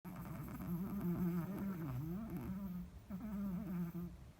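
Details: A sleeping Chihuahua snores. A vet found him fine, and a little diet should improve his sleep. A steady nasal buzzing drone wavers up and down in pitch, with a short break near the three-second mark.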